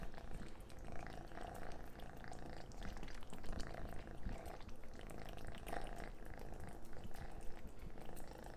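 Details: Orange cat eating messily indoors, a steady low rumbling purr under wet, crackling chewing and lapping clicks throughout.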